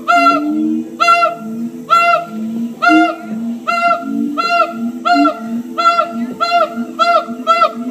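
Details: Columbus Zoo siamang gibbons, captive, singing: a steady chain of about ten bright, harmonic barks close to one per second, with lower rising hoots weaving beneath.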